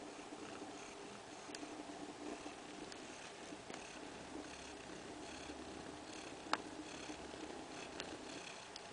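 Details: Purring from a domestic cat family, a mother named Kaewe with her two-week-old kittens, moved indoors to a living-room kindergarten area; a steady soft rumbling purr runs throughout, broken by a few faint clicks.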